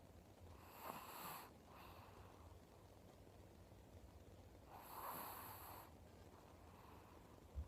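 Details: Elderly Chihuahua with cataracts in both eyes, snoring unusually while asleep: two soft, breathy snores about four seconds apart, each a hissing inhale with a faint nasal tone, over quiet low room hum.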